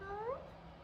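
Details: One of two F2 Savannah cats (Kumba and Taj) gives a short, low meow that rises in pitch, wanting attention. Taj has especially deep meows.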